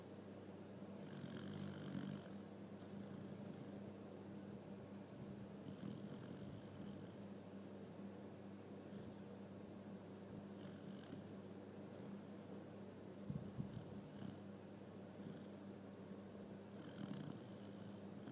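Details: Pet dog asleep in a bed, snoring and dreaming with rapid eye movement: soft, breathy rasping snores recur every two to three seconds over a steady low hum, with a brief louder snort near the end.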